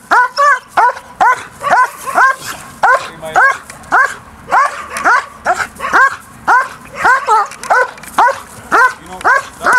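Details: Barking from Briska, a DDR German Shepherd bitch in early bite work with an agitator, taught to keep focus on him rather than the sleeve; sharp arched yelping barks repeated roughly twice a second without pause.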